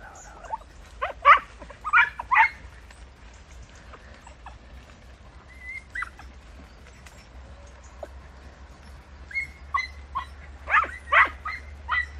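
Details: Podencos working through bramble on a hunt in Campo Arañuelo; scattered yelps and short barks at first, a quiet stretch with a few thin whines, then renewed bursts of yelping barks from more than one dog.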